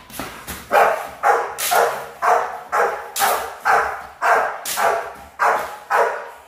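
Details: Barking from young Rottweilers being trained for high-performance guard duty: a regular series of loud, punchy barks roughly every half second, clear and dominant throughout.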